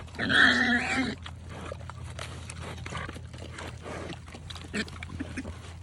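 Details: Pigs on a farm eating eggs; a loud harsh squeal opens, followed by steady chewing, crunching and clicking sounds over a low hum.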